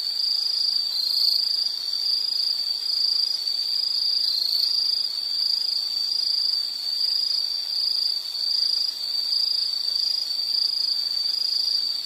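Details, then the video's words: Nature sound for study or sleep featuring insects: a bright, unbroken high-pitched buzzing trill with small rises in loudness, a faint shimmering chorus above, and otherwise quiet surroundings. "Sound · Nature Sound of nature sounds scenery L · insect"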